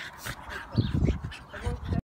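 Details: A Staffordshire Bull Terrier in a fight or rough play gives low, rumbling growls in short rough bursts, while a voice speaks French nearby.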